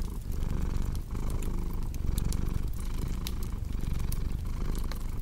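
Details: Continuous low purr from a cat, pulsing with each inhale and exhale roughly once a second, while a crackling fire snaps and ticks over it in a cozy indoor sleep-sound blend.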